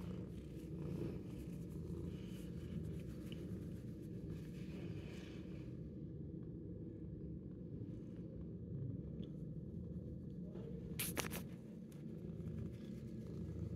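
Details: Ten-month-old shelter cat that loves attention, purring indoors: a steady low rumbling drone runs throughout, with brief rustles and a short scratching burst near the end.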